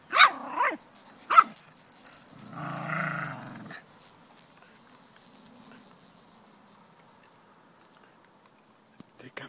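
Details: Jack Russell Terrier puppies, five weeks old, romping in a backyard with their parents: two quick bright yips about a second apart, then a longer nasal whine-like sound, fading to quiet rustling.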